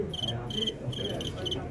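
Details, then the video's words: Fighting crickets filmed live. Short, bright chirped bursts come about four times in under two seconds, separated by brief gaps, over a low murmur of background noise. "#蟋蟀 啤打到舞麒麟"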